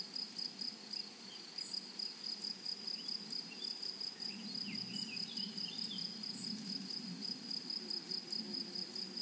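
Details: In a flowering prairie meadow, grasshoppers keep up a sharp, high pulsed trill in regular beats, while a few faint bird notes flicker through and a low rumble of wind or distant noise sits underneath.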